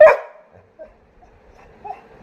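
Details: Labrador Retriever named Sara, a pet that wants to go sleep in the air-conditioned room; one sharp, short bark at the start, then faint whines and quiet.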